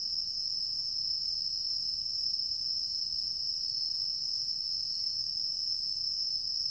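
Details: Singing insects in a mixed woodland, recorded September 11, 2023, keep up a steady, unbroken high-pitched trill, a continuous shimmering hum with no pauses, over faint low background rumble.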